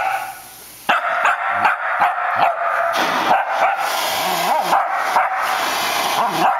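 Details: Shetland Sheepdog barking at a floor vacuum it dislikes, trying to fight it off; sharp yappy barks in quick irregular bursts over the loud steady roar of the running vacuum.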